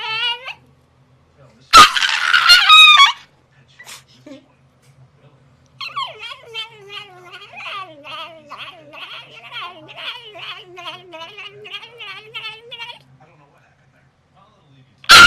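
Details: Pet dog reacting to a tennis racquet it dislikes, giving a long run of harmonic, wavering whines and yelping howls indoors, pitch sliding up and down in rapid pulses, with a brief burst of louder noise near the start.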